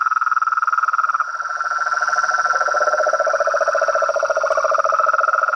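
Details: Pond frogs and toads at dusk calling in a noisy group: layered fast trills at two pitches, the lower rattling voice swelling in the second half, with a thin continuous high whine behind.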